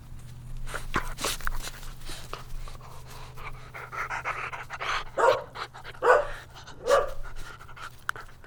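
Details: Dogs playing and chasing on a lush meadow: steady panting and breathy sounds, then three quick barks close together near the end.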